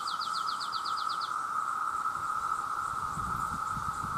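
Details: Cicadas, described as millions of males calling for mates, drone in a steady, unbroken hum alongside frogs, with a bird's quick trill of repeated notes at the start.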